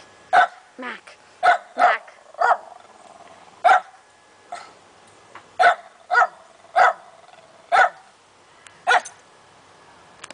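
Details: A domestic dog barking up a storm, giving about a dozen loud, clipped barks in irregular single and paired bursts, with brief pauses and a still background.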